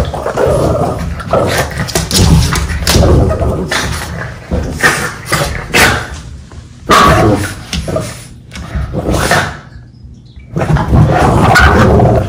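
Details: Two Boston Terriers in a playful bitey-face bout indoors: rough growls and snarly grumbles with short yips, broken by a brief pause near the end, light music faintly present.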